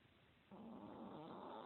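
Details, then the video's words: Sam the Chihuahua, fat and lazy, asleep and snoring in 2016: after a short hush, a rough, droning snore begins and carries a wobbling hum to the end. "Chihuahua snoring"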